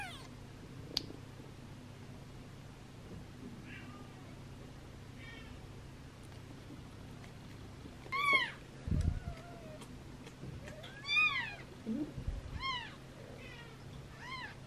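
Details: Newborn rescue kittens on their third day of care, losing weight, with Gipsy and Cream named; a string of high arched meows, faint at first then a loud cluster of repeated cries, over a constant low hum and soft handling noises.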